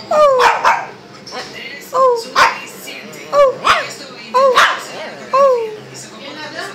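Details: Shih Tzu dog indoors giving a run of short, high yelps that slide sharply downward, several in quick succession with brief pauses between, mixed with a few sharper clicks and knocks in the room.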